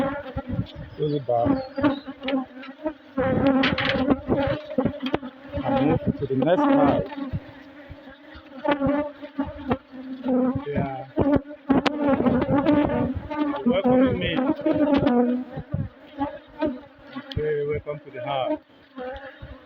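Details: Inside an opened beehive, honey bees building comb fill the air with a dense, sustained low buzz rising and falling in loudness, mixed with repeated handling thumps and rustles during the inspection.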